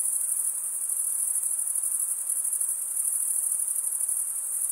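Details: Continuous high shimmering chorus of stridulating crickets, usually males, producing the sound by scraping a wing edge over a comb-like toothed vein; the fast pulses blur into an unbroken ringing trill, with no other animals or background noise.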